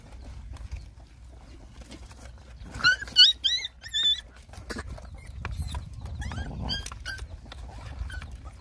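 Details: Hungry Rottweiler puppies nursing: a quick burst of high, squeaky whimpers with bright overtones, each bending up then down, four or five in under two seconds, then fainter scattered whines over a low rumbling background.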